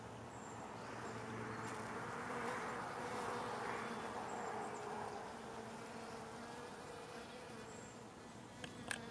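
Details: Bumblebees visiting giant Juliette poppy flowers: a low, steady droning buzz that rises and falls slightly as they move about.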